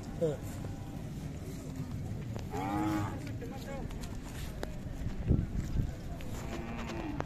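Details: Khillar cattle, young bulls and large bulls, at the Athani fair in Belgaum district, 23 to 25 April 2024. A single drawn-out moo rises and falls near the middle, set against steady crowd chatter and outdoor fair noise.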